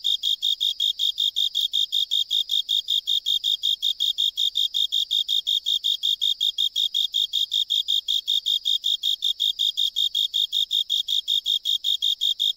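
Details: Singing male of the common Japanese burrowing cricket, filmed in a drainage pipe during an island survey: bright, high-pitched chirps repeated in a regular, unbroken rhythm of about three per second against a quiet background.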